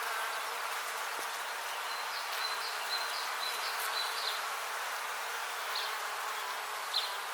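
A dense, steady hum of many bees buzzing together, with faint high chirps in the background.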